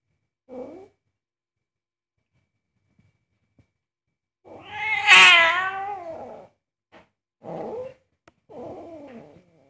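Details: Very angry house cat objecting to its owner cooking, indoors: one loud, wavering, caterwauling meow in the middle, framed by short, quieter mews and chirps before and after.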